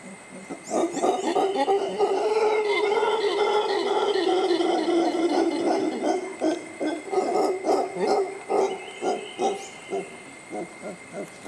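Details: Mantled howler monkeys keeping cool in the shade at Tirimbina Biological Reserve near La Virgen, Costa Rica, close to a suspension bridge; a sustained loud guttural roar lasting several seconds, breaking into rhythmic pulsed grunts, over constant insect buzz.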